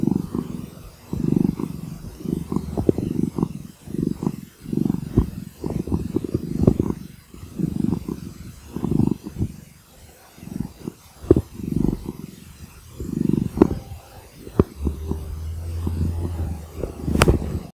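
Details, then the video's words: Domestic cat purring close up: a low, rumbling purr that swells and fades in steady pulses roughly every second and a half, with a few soft clicks and a brief low hum near the end. "Purring cat"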